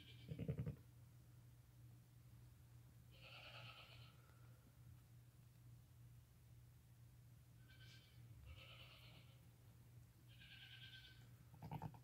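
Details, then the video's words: Newborn lambs under five hours old, born that day, walking and nursing with their mother; several soft, short, high bleats spaced a few seconds apart over a steady low hum. "Newborn lambs walking, crying, and nursing with mother"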